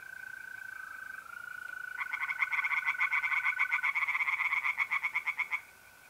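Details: Tree frogs singing by night in a pond in north-east Italy in mid-April, a rapid pulsed croaking chorus starting after two seconds, about three croaks per second, over the steady continuous trill of mole crickets.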